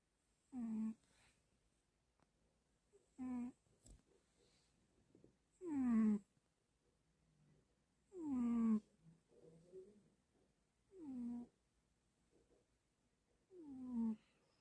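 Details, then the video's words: Sleeping cat snoring steadily in a small room, a deep buzzy breath with a falling tone repeating about every two and a half seconds, six breaths in all, with quiet gaps and faint clicks between. "Big cat snore"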